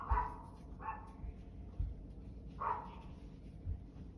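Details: Barking dog: three short, sharp barks at uneven intervals, the last one strongest, over a low background rumble.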